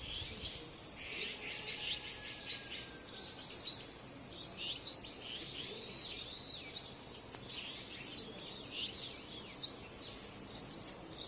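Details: At Deoksan village's dangsan shrine grove, a constant, even, high cicada buzz runs unbroken. Small birds chirp and twitter often over it. There is little wind.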